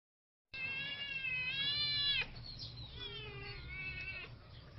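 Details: Siamese kitten siblings caught fighting: a long, strained, wailing cry that rises and holds for over a second, breaks off, then a second drawn-out, wavering yowl with a low hum underneath.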